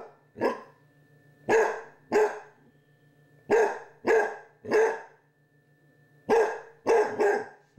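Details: A Basset Hound puppy, battling a Halloween candy dish alongside a Chihuahua, barks in brief, rough bursts, usually two or three close together with pauses between, over a faint steady hum.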